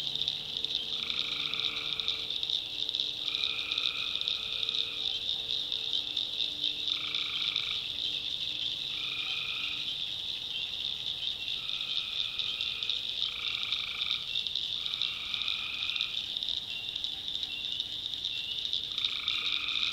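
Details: Nighttime swamp chorus of tree frogs from the North Carolina backwoods: nasal, buzzing trills repeat every one to two seconds, layered over an unbroken shrill high drone.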